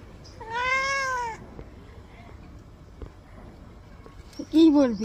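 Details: Housecat at bath time letting out one clear, steady meow lasting about a second, then near quiet, followed by a short, lower, wavering cry mixed with a human voice at the end.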